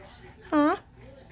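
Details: A female Norwegian Forest Cat gives one short, arching meow, greeting her owner at the door on arriving home in the evening; another cat plays with a motion toy in the background.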